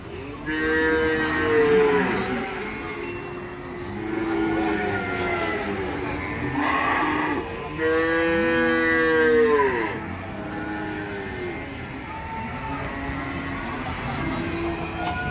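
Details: Cattle at the busy Ambarketawang cattle market, Gamping, Yogyakarta, Indonesia: repeated long, loud bellowing moos, each lasting about two seconds, from several animals, with crowd chatter and faint music in the background.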